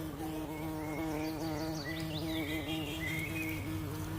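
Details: Honey bee arriving among sunflowers in a sunflower garden: a steady, low droning hum with stacked overtones, holding through the whole stretch, with faint thin high chirps scattered above it.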